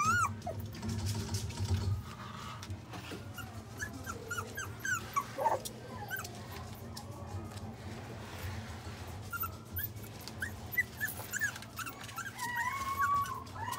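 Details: Pomeranian-Shiba mix dog at the Inu no Ie pet shop, Mark Is Shizuoka store, giving high, thin whimpers and short rising yips scattered through the clip, with background music and a low steady hum.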